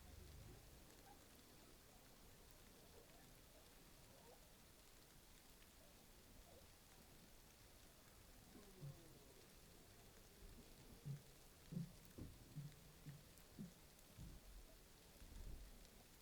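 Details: Humpback whale social sounds recorded by a moored hydrophone off Saldanha Bay: short low grunts and whups rising out of steady underwater hiss.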